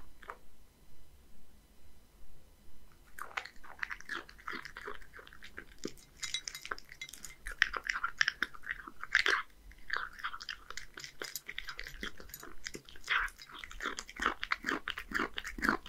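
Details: Hige, a male Scottish Fold cat aged one, kept in Japan, eats a fish meal of deboned horse mackerel and dry kibble. The first three seconds are near silent, then steady crisp crunching and chewing continue throughout.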